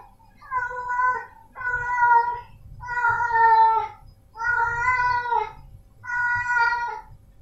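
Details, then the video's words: Male domestic cat meowing five times in a row, each call about a second long, steady and harmonic-rich, with short pauses between and a faint low hum underneath. "Suara Kucing Jantan"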